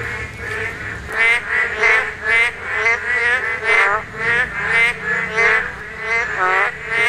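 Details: Korean narrow-mouthed toads calling during spawning. Loud, nasal, harmonic croaks with a bright upper edge follow one another about every half second, several animals overlapping.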